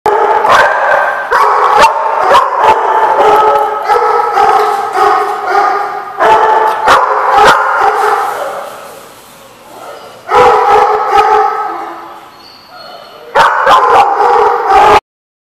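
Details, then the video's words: Dogs barking, recorded 19 July 2014: loud, dense overlapping barks and yips with sustained tonal cries between them. The din breaks into quieter lulls around nine and twelve seconds, then resumes before stopping abruptly. "The Barking Lot"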